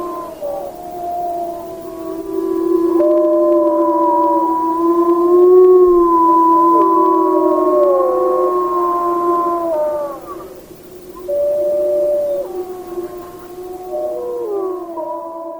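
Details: Several rescued wolfdogs at a wolf rescue howl together in long, sliding, overlapping tones that rise and fall.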